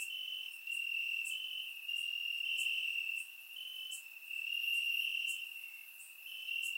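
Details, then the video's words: Night-time cricket chorus from grass in Bulgaria on a warm summer evening, surround recording; a bright unbroken trill in long bursts separated by quieter gaps, plus faint high ticking. "Cricket Sounds - Crickets Chirping at Night"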